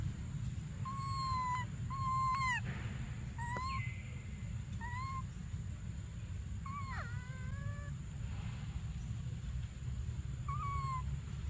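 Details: Desperate cries from baby monkey Briar, who wants milk: short, clear, whistle-like wails, a few rising sharply then falling, coming in quick irregular bursts, with low background rumble and a constant thin high tone.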